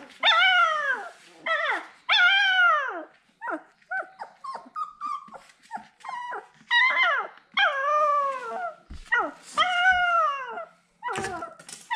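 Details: Siberian Husky puppy whining while looking for its mother: loud, arched, harmonic cries that rise and fall, in bursts of about a second with short gaps, followed by shorter, choppier yelps.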